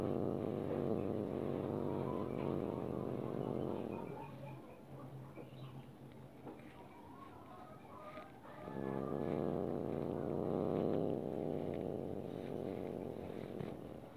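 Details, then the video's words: House cat grumbling angrily when stroked against its liking: a sustained low growl, a softer murmuring stretch in the middle, then the throaty growl swelling again. "Suara Kucing Marah Saat Tidak Suka Dibelai"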